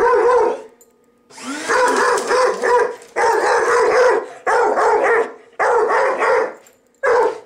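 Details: Pet dog that dislikes the vacuum barking steadily at it indoors, with long rasping bark bursts repeated roughly every second, some stretched into growly runs, over a constant low motor hum.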